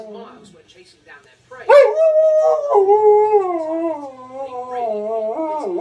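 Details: An Alaskan Malamute–husky cross gives a long, wavering howl that slowly slides downward in pitch, answering wolves howling on TV.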